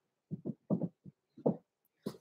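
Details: Six-week-old blenheim Cavalier King Charles Spaniel puppies, Roman and Blue, in an indoor puppy pen overnight, born November 14, 2022; a run of short, low grunting bursts in quick pairs, with a brief pause before a last louder burst.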